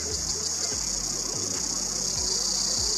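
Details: A massed chorus of Ironbark cicadas gathered on eucalyptus trees, Australian bush in summer 2021, producing a loud, unbroken shrill drone with fast pulsing beats, over low background rumble.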